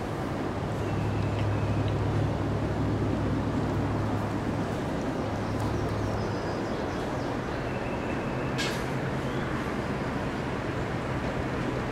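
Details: Steady loud engine rumble with a low hum and brief squeaks, and no animal voice heard.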